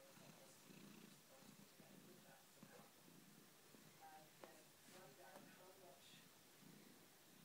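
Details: Soft, low rhythmic purring from a domestic cat, pulsing in steady breaths under a steady background hiss, with faint clicks throughout.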